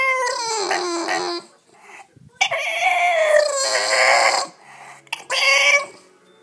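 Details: A 7-month-old male English Bulldog whines in high, drawn-out, sliding tones, as he does when he wants to get up onto the bed.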